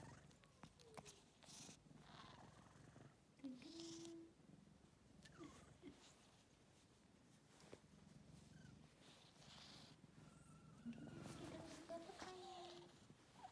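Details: Continuous low, fast-pulsed purring from a house cat, steady underneath while people talk now and then and light handling noises come and go.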